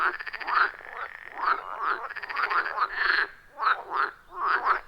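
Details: Loud, rhythmic chorus of several wild frogs calling around a pond deep in a forest, captured with an iPhone 14 Pro and Shure MV88+; pulsed, raspy croaks overlap in bursts every half second or so, with no music or voices.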